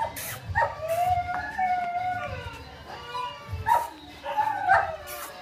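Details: Two-month-old male and female Bulldog puppies imported from Ukraine: thin, high whines and whimpers that rise and fall, some drawn out, mixed with short sharp yelps at intervals.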